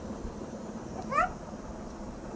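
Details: Cat being held by a child like a teddy bear, giving a single short rising meow near the middle, with quiet indoor room noise around it.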